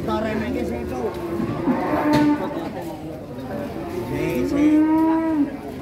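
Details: Agitated cow coming down from a truck: two moos, one short and one longer, low and level, under a layer of human chatter and outdoor noise.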